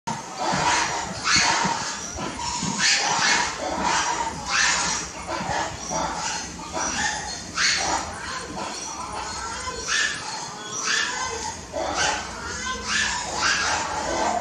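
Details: Meerkats at Taipei Zoo on 15 April 2021 around 16:33 call with sharp, barking chirps repeated about once a second, with faint voices behind.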